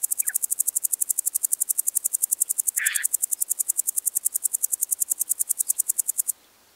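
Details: A woodland grasshopper (Omocestus rufipes), recorded on the Gaisberg, Austria, on 15 September 2023, sings a steady run of sharp, high ticks, several per second, for about six seconds. One brief lower chirp breaks in midway before it stops abruptly.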